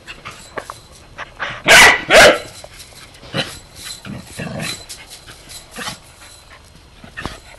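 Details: A 3-year-old Corgi gives two loud, sharp barks in quick succession at a slinky it has discovered, followed by softer scattered noises.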